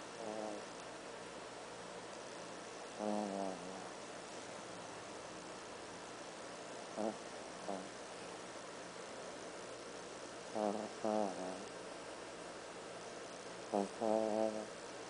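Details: Andy, a black toy poodle, snores while napping on a couch: short, snorty harmonic bursts, some in close pairs, return every few seconds over a steady, quiet room hiss.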